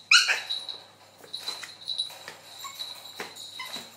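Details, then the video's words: LeLe, a two-month-old toy poodle puppy chasing a mop: one sharp high yelp at the start, then scattered scuffles and soft thuds of play, with a steady faint high-pitched hum behind. "LeLe the toy poodle chasing mop"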